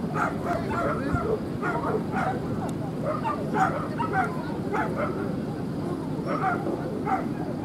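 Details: Male Corgi puppy at a dog show at Lake Yamanaka, 3 July 2016, giving short, sharp barks and yips in irregular bursts over steady crowd murmur and voices.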